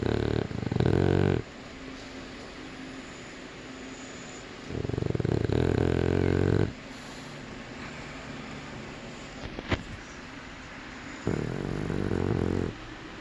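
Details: A sleeping Boston Terrier puppy snores in three long, loud rumbling bouts, each lasting about one to two seconds, separated by quieter breathing stretches, with a brief click near the end.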